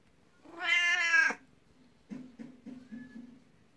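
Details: Indoor twelve-year-old black cat Beni-chan seeks attention at someone's feet out of jealousy toward a 19-year-old housemate cat: one loud, bright, sustained meow, then a run of short soft chirping trills and a brief murmur.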